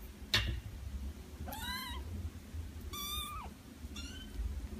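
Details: Cat giving three short, fairly quiet meows roughly a second apart, one rising then dropping, over a low background hum.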